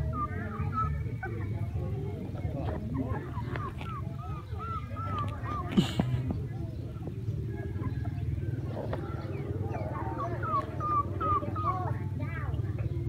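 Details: Crying from a group of puppies during play: bursts of short, rising-and-falling squeaky whines repeat in clusters, set against a loud low drone and faint background voices.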